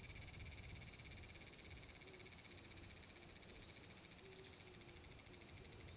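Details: Large brown cicada (aburazemi) singing in summer, recorded 30 July 2022 at Furuta Magarikawa, Nishinoomote, Tanegashima, Japan, with natural ambience: a steady, high, sizzling buzz with rapid regular pulsing that fades slightly over the clip.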